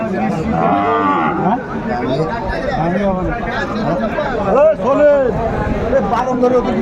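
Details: Sahiwal bull calf at a Chattogram cattle market, Bangladesh, on 14 January 2025 during price bargaining: a short harmonic moo early on, followed by overlapping men's voices haggling and crowd chatter.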